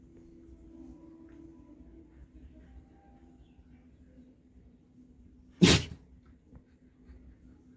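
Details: A dog gives one forceful, noisy sneeze in the second half, a brief blast of breath against a quiet background with low steady hum.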